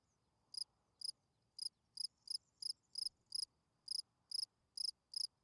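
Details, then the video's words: Spring field cricket chirping at night, a rapid run of clear, high pulsed chirps about every half second, slightly uneven in spacing, with little else audible. "Night Cricket Singing Sounds. Field Cricket chirping"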